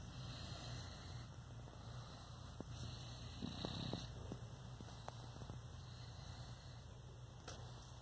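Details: A male Boston Terrier snores in a deep, steady rumbling drone with gentle rasping on each breath, while a faint, high electrical whine runs steadily underneath.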